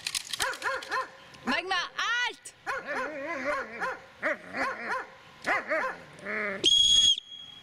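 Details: Dobermann aged eight years six months barking during attack training on command: a run of loud, pitched, arching barks and yelping cries in quick bursts with short gaps, ending in a brief electronic beep.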